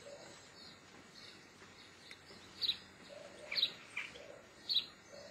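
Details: Geoffroy's marmoset, also called white-headed marmoset, giving three short, high, sharp chirps about a second apart in the second half, over a low steady background hiss.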